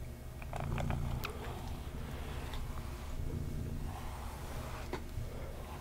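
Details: Domestic kitty purring during a brushing session indoors, a continuous deep pulsing rumble swelling in short waves, with crisp bristle scratches and light clicks from the brush on top.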